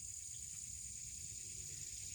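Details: Cicadas calling loudly outdoors in the background, having started up as recording began; a continuous, even, very high-pitched whine holds steady throughout, with faint low rumble beneath.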